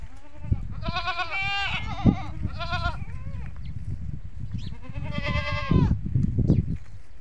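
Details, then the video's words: Goats on a goat farm calling, a sound that draws the young kids to come to the adults. Several wavering, nasal bleats come in separate bursts, some short and some drawn out, over a steady low rumble of background noise. "Goat Farming Mein Bakri Ka Awaaz | Huge Goat Sounds"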